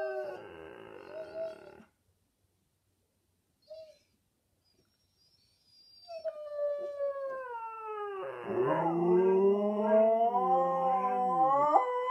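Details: Two Siberian Huskies sing a low-voiced duet: one, wearing a cone after minor thigh surgery and usually howling high, gives a short howl, then a drawn-out mournful howl that dips and rises, while a second, deeper voice joins and overlaps.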